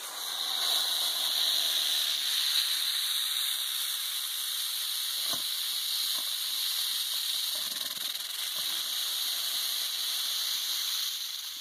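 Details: Western diamondback rattlesnake rattling: a steady, high hissing buzz that runs unbroken through the whole stretch, with faint thin tonal lines above it.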